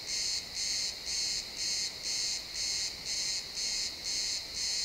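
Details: Sunset chorus of crickets among pines: loud, high-pitched chirping in evenly spaced pulses, roughly two per second, crisp and continuous over a quiet forest background.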